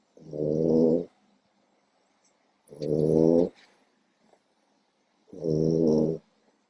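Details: Sleeping French Bulldog puppy, four months old, female, giving three loud grating snores, each close to a second long and spaced about two and a half seconds apart, in an otherwise quiet room.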